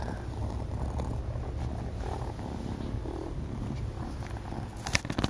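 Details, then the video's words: Malcom, a pet cat, purrs while idle, a loud purr likened to most cats' highest setting: a deep, steady, rumbling vibration running without a break, ending in a few sharp rustling clicks. "Malcom's purr on idle resembles most cats' highest setting."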